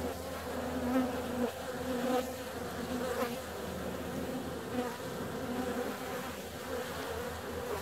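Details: Many honey bees buzzing as they fly out on a warm February day, a thick, even drone with frequent brief swells as individual bees zip close by the microphone.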